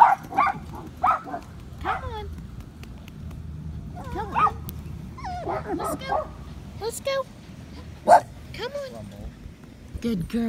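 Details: Patterdale Terrier puppies, five weeks old, in a home-built earth tunnel: scattered squeaky yips and rising then falling whines come in loose bursts, with a coaxing human voice between them.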